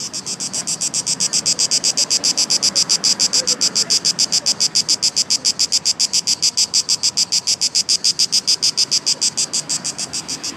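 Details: Locusts near Hadrian's Arch and the Temple of Olympian Zeus in Athens, Greece, make a loud, high, buzzy chorus pulsing three or four times a second, described as a mating call.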